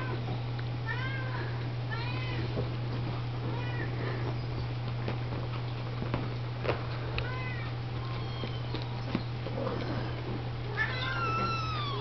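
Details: Oriental, Siamese and Snowshoe kittens being washed and fed indoors by Siamese and Snowshoe mother cats; thin, arching high mews from several kittens recur every second or two over a steady low electrical hum.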